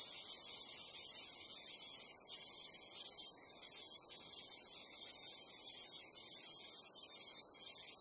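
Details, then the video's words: Japanese cicadas in summer at the Imperial Palace, Chiyoda City, Tokyo, fill the air with a steady, high, hissing buzz that never pauses. "Japanese Cicada / Summer sound."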